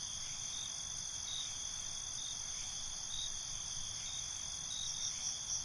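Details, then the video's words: Crickets calling at night in a binaural night ambience: an unbroken high, even trill holds steady for the whole stretch, with only faint pulsing near the end and a low rustling hiss beneath. "Night ambience, Cricket Conversations"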